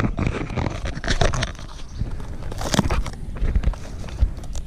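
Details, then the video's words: A single white beetle grub about 3 inches long, hidden under bark in a cut log by a cabin, chews wood with its large mandibles, making loud, irregular crunching and crackling with dense bursts of dry clicks and scrapes. "Loud crunching sound made by monstrous grub"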